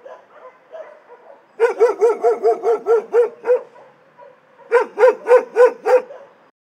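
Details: Dogs in an animal shelter bark in two rapid runs of loud, evenly spaced barks, about eight then six in a row, after soft distant yips at the start.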